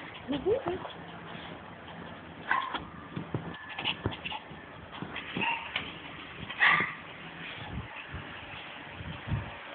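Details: Two Shih Tzu, a male and a female, and a male Maltese, pet dogs jumping and excited over cheese bits; scattered short high yips and whimpers over a steady background hum, with some voices.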